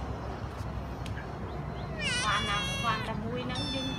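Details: Domestic cat, one of several rescued strays kept at home, letting out a single loud, quavering meow about halfway through, followed by a fainter trailing cry, after a quiet stretch of low background hum.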